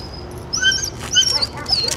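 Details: Seven-month-old German Shepherd Maci, a young female described as a little anxious before Raleigh Durham training, lets out a run of piercing, squeaky whimpers, sharp high tones rising and falling in quick bursts, with light handling noise behind.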